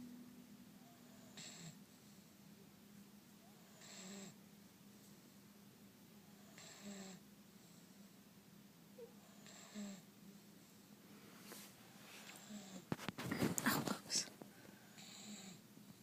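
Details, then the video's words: Deaf two-month-old Great Dane puppy asleep, snoring softly with a low steady drone and breathy puffs roughly every two to three seconds; brief rustling clatter midway. "Great Dane PUPPY SNORING"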